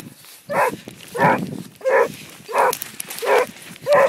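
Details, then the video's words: On the track, a Basset Hound gives six evenly spaced, rough barks over a few seconds against a noisier, rustling outdoor background. "Basset hound on the track"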